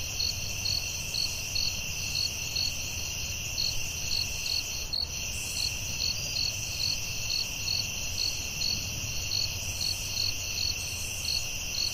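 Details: Crickets calling at night in a forest: a steady high continuous trill layered with a pulsed chirp repeating about three times per second, over a faint low rumble throughout.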